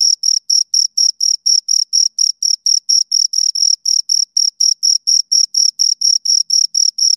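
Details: Two crickets chirping in a close recording: clean, high-pitched pulsed chirps repeated rapidly at a steady rhythm, roughly three to four per second, with a fainter higher overtone and dead silence between pulses.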